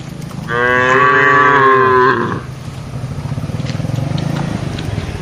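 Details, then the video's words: Cattle herded through a wide plantation among trees and green grass, calling while feeding and interacting: one loud drawn-out moo lasting under two seconds, then steady low rumbling background noise. "suara sapi"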